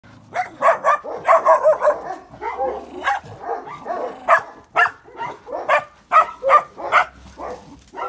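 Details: Georgian Shepherd (Nagazi) puppies during vaccination and care, giving rapid, irregular bursts of high yelps and short barks, roughly two per second, with no other notable background sound.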